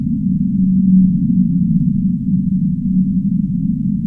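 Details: ['Low, drawn-out whale moans, held tones broken into a few pulses, rising out of a thick, steady rumble of background noise.']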